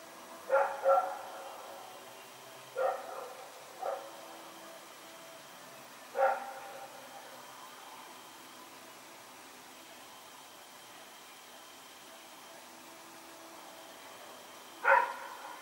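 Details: Night barking from Rex, a dog running around on 21 September 2018: single and doubled barks come at irregular intervals, clustered in the first six seconds, then a long quiet stretch of background hiss before one last sharp bark.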